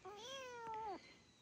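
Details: Abandoned kitten, newly adopted, gives a single clear meow lasting about a second, tonal and steady before dropping at the end, in a quiet indoor setting.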